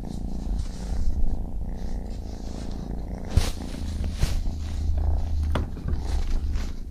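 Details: Kitten purring, a low rumbling drone concentrated in the bass with faint rustling and a few sharp clicks near the middle.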